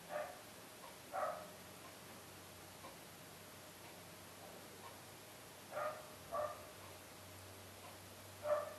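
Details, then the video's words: Dogs give short barks in small clusters, a few quick ones early, a pair around the middle and one more at the close, spaced by seconds of quiet over a faint low hum. "Dogs Barking"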